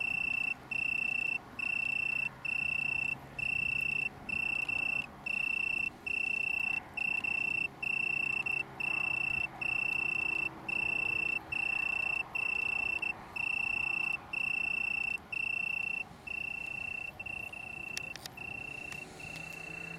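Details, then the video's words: Italian tree cricket, Oecanthus pellucens, in a small colony on the downs near Brighton, UK, 21 September 2019: a bright, pure trill in rhythmic bursts of under a second with short pauses, weakening and blurring near the end. "Italian Tree Cricket, UK"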